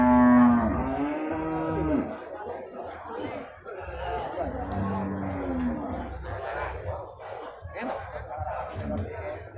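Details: Beef cattle at the Purwakarta animal market, Indonesia, on Monday 15 July 2024: a loud drawn-out moo falling in pitch over about two seconds, with softer lowing later, amid crowd chatter, traders' voices and background music.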